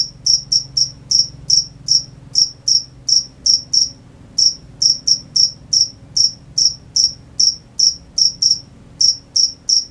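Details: Night-time crickets giving a steady run of sharp, high chirps, roughly two to three per second for ten seconds, with a brief pause near the middle and little else audible.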